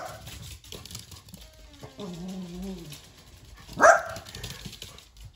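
A Dachshund gives a drawn-out, wavering whine followed by a single sharp, loud bark.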